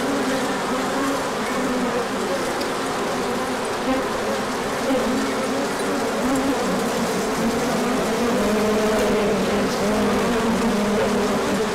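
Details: Honeybees on a large orientation flight as the sun came out after colder weather, 24 March 2024, with pollen coming in afterwards; a dense, steady hum of many wings with overlapping buzzing tones that drift up and down.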